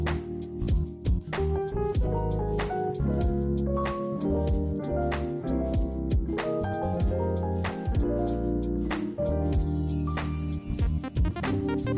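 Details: Bright jazzy music with vibraphone-like tones and percussion plays throughout, with no snoring or other animal sound.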